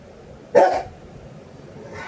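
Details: A Rottweiler barks back angrily at its owner after being scolded for biting another pet on the ear; one short, loud bark, with quiet background hum and a woman's scolding voice.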